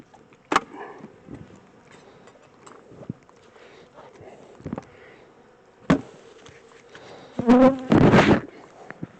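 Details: Honey bees of a captured swarm being transferred from a small temporary box to a bigger hive; a low continuous buzzing drone runs beneath sharp knocks and bangs from handling the hive boxes, with a loud clattering burst near the end.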